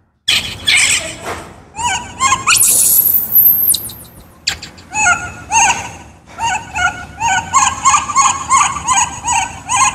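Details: Hungry for fruit, baby wild monkey Kaka screams: a piercing rising shriek, then a steady chain of rhythmic, wavering squeals repeated about twice a second.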